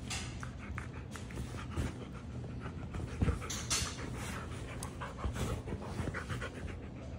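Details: Siberian Husky panting steadily with quick, rhythmic breaths over an indoor background, with a few soft thumps and rustles.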